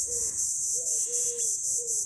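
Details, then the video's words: Cicadas, called chicharras locally in Guerrero, Mexico, as the rains begin, give a loud, high, hissing buzz that pulses steadily, with soft low whistles underneath; described as sounding strange. "Aquí le llaman chicharras hoy, ¿cómo se oyen?"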